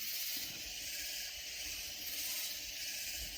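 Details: Katydids calling loudly near San Antonio, Texas, in Hill Country: a steady, bright, high buzzing wash that never breaks, with faint low rumbling beneath.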